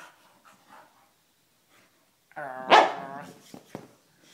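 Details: An English Staffordshire Bull Terrier plays with a teddy bear toy indoors in a lounge room, spinning around. One short, strained, harmonic bark-like vocalization, followed by a few soft thumps and clicks.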